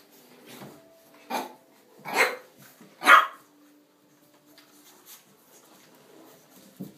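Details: Blue Boston Terrier puppies almost six weeks old, indoors, playing after a bath: three short yappy barks a second apart, the last loudest, then quieter scuffling and a faint yip at the end.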